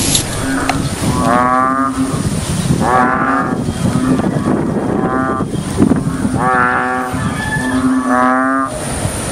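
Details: A big frog gives loud, nasal, drawn-out croaks, repeated about every one and a half seconds, during rainy days.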